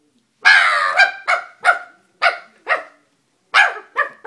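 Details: Frightened Dobermann puppy barking at a stuffed toy: a long opening bark, then a quick series of short sharp barks, a pause, and three more.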